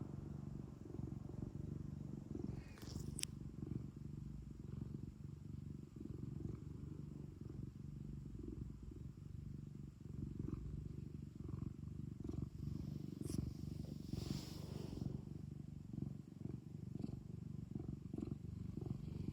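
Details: ['Pet cat indoors at home, purring continuously: a deep rough rumble rising and falling with its breathing, broken by a sharp click early on and a short rustle later.']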